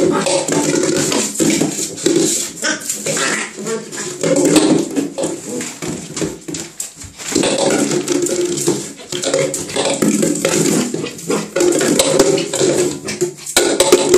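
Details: Pembroke Welsh corgi in a bath tub giving repeated low, harmonic grumbling whines and moans, broken by brief pauses, over steady splashing and running water.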